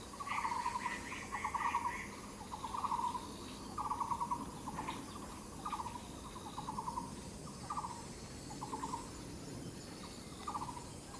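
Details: Katydid filmed along the Yixuekeng trail: a string of brief pulsed buzzes, each a tight rattle under a second long, repeated irregularly every second or so, with a fainter higher rasping at the start.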